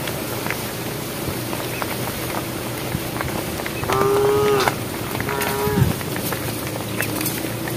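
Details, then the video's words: Two moos from a cow in a herd on a project road, calling the herd: a sustained tonal call around the middle, then a shorter second one a second later, over low rumbling background. "thesound of cows calling the herd"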